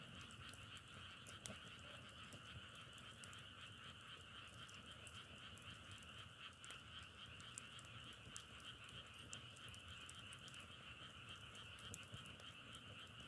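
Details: Frogs calling together in a steady, dense chorus: a continuous trilling drone with bright layered bands, unbroken for the whole stretch, dotted with sharp scattered crackles and clicks, like burning firewood, against soft low background rumble.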